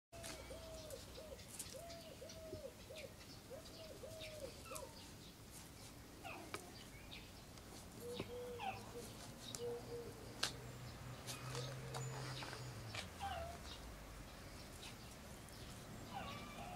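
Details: Cairn Terrier puppies from Kennel SweetBeauty, born 25 April 2012 and recorded 12 June 2012. A rapid series of short, arched, tonal whimpers comes in quick repeated bursts early on, then fainter squeaks over a background murmur and rustling.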